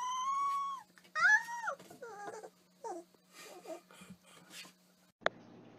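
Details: Dog from a funny dog compilation whining and whimpering in a series of short, wavering, nasal tones that bend up and down, quiet overall, with a faint steady hum beneath and a sharp click near the end.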